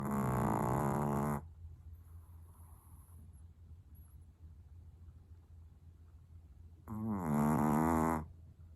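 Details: A long-haired Chihuahua named Marokichi naps with eyes half open and snores noisily indoors. Two loud, buzzy, nasal snores of over a second each are separated by about five seconds of near silence.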